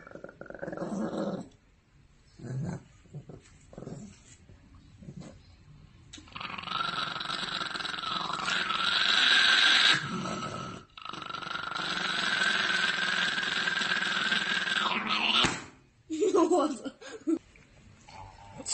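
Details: A dog, barking and howling at a phone, gives a few short barks, then a long, strained, growling howl-like cry.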